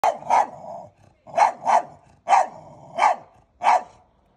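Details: Dog barking at strangers, said to be territorial guarding; a run of sharp, loud barks, several in close pairs, about five bursts in four seconds with brief pauses between, no other sounds.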